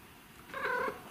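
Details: Pet cat giving a single soft, short trilled mrrp, a rolling chirp lasting under half a second, in a quiet room.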